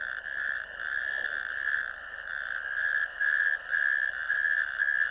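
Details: Natterjack toads calling from a ditch on 1 May 2024, recorded at a wetland camera: a steady, loud, rolling rattle with slight pulses in loudness, carried without a break through the whole stretch.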